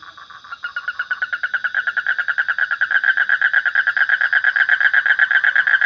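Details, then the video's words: Frog calling in a fast, steady series of short buzzy croaks, nearly three per second, starting softly and quickly growing louder, with a faint continuous high hum behind. "Suara Kodok / Frog Sound"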